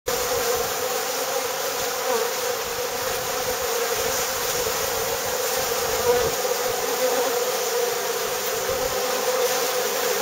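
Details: Bees at a saltworks: a steady, dense buzzing hum of many insects, continuous throughout with a constant drone and no other clear sounds.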